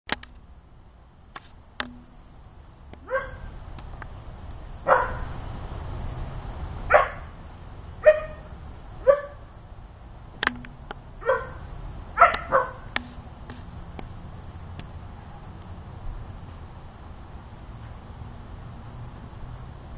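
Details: A 4-month-old Siberian Husky puppy in a backyard bordering a small city forest, playing with a visiting deer; about eight short yips and barks spread over twenty seconds, some with rising tonal yelps, against steady low outdoor rumble.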